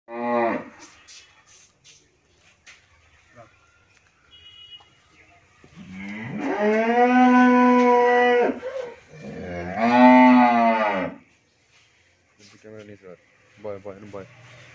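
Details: Friesian cow in her first lactation, kept with her female calf on a dairy farm in Bhangura, Pabna, Bangladesh, giving 20-22 litres of milk; two long, loud, droning moos, the first over two seconds, the second shorter, with brief voices and clatter between.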